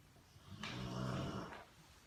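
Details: A Rottweiler snoring on a couch gives a low, rumbling rasp that swells and fades over one long breath.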